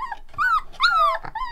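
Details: Rottweiler puppies, one month old, howling one after another: clear arched howls that rise then slowly fall, separated by short breathy yelps and brief gaps.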